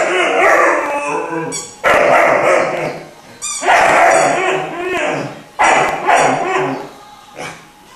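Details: Three-month-old Irish Wolfhound puppy singing: wavering, tonal howls and yips rise and fall in uneven bursts, some drawn out over a second, with short breaks between phrases.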